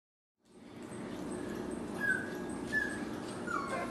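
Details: Six-week-old dachshund puppies giving thin, high whimpers, three short squeaky cries with bending pitch spaced under a second apart, over a steady low room hum.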